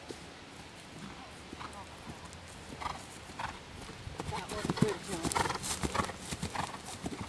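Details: Horse on its third cross-country schooling outing while learning to jump: irregular thudding hoofbeats build and grow louder toward the end, with sharp clicks, wind rumble and voices mixed in.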